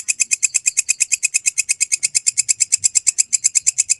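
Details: Belalang kecek grasshopper, recorded clean for mastering songbirds. Bright, high ticking pulses repeat very rapidly and evenly, around seven a second, forming a steady chattering run with no pauses.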